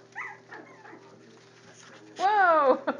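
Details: A four-week-old Jack Russell Terrier puppy lets out one loud, drawn-out falling whine after a few faint squeaks, with a woman's voice nearby.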